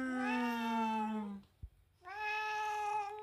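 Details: Indoor pet cat Latte telling off someone who keeps begging it for food: two long, loud meows, the first steady and slightly falling, the second higher and held, with a brief pause and a tap between them.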